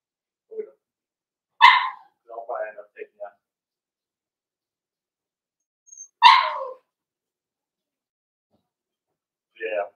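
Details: Blenheim Cavalier King Charles Spaniel puppies, part of a litter of five born on New Year's, indoors in a puppy pen; two sharp barks about four seconds apart with softer yips between and after.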